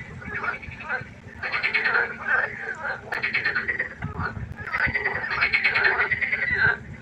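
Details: Frog chorus at a pond after dark, long trilled, rattling croaks swelling and overlapping from several callers, sustained almost without pause.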